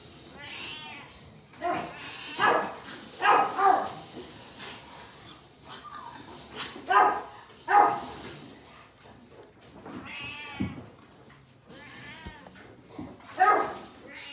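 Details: Newborn Japanese Chin puppies, one of a litter of five black pups born on February 15, squealing and whining in short high bursts with arching harmonic cries, several overlapping, separated by quiet gaps of soft background rustling.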